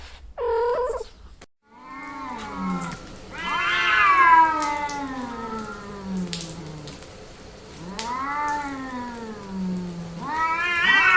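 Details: Female cat in heat caterwauling: a brief meow, then long, wailing yowls that swell and slowly slide downward, with a deep drawn-out moaning tone beneath, ending in a rising cry.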